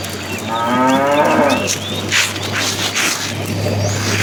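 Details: A cow in a tame herd on its way to fresh pasture lets out a short, fairly soft moo lasting about a second, over a steady low hum and rustling outdoor noise.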